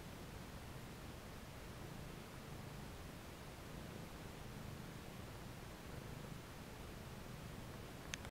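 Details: Abyssinian cat purring while kneading a cushion indoors; a steady, low, rumbling purr runs unbroken through the whole recording over a soft constant hiss, with a single sharp click at the very end.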